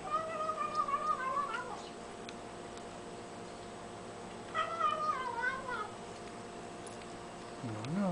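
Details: Tiny pet kitten making cute noises while eating indoors: two wavering, harmonic mewing cries, each lasting over a second and sliding downward at the end, with a quiet pause between them and low room hum.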